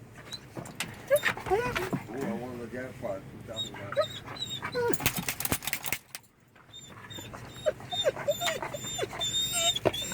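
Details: Pet Belgian Malinois at home, making funny talking noises toward its owner. Wavering, whiny harmonic moans rise and fall in short bursts, mixed with a woman's speech, beeps and background music.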